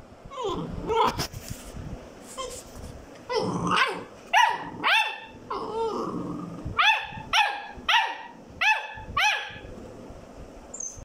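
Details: Labrador Retriever puppy trying to climb up onto a bed, giving a run of high, sharp yelping barks, about ten short yaps in the second half, coming roughly every half second, after scrappy growly noises and scuffling at the start.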